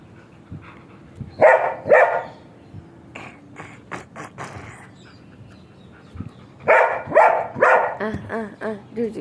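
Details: Sheru, a German Shepherd, playing: two sharp barks, a pause with soft scuffling, then a quick cluster of barks followed by short rising-falling whines in a rapid series.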